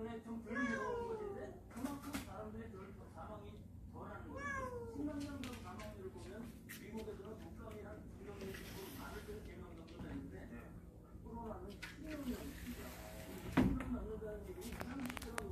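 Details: Members of a warehouse cat family inside a house meow repeatedly, short wavering cries spaced a few seconds apart, mixed with ongoing human speech, a sharp knock near the end and a constant low hum.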